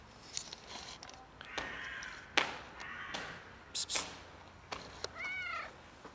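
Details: Warm, beautiful domestic cat approaching to ask for a favour, probably hungry, gives one short rising-then-falling meow near the end, preceded by rustling, clicks and handling noises.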